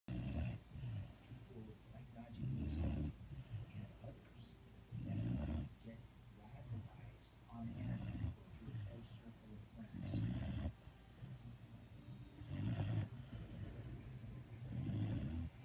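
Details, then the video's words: Sleeping dog snoring: deep, low rumbling snores with a breathy hiss on each breath, repeating roughly every two and a half seconds in a steady rhythm over a quiet background. "Snoring dog"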